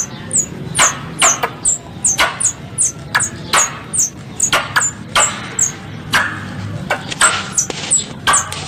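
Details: Squirrel call for luring prey: evenly spaced, thin high chirps paired with sharp snapping clicks, repeated almost every half second, with a low background hum.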